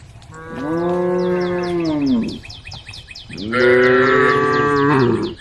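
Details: A cow gives two long, deep moos, each swelling and then sliding down, from a group of tame female cows on a road calling the herd.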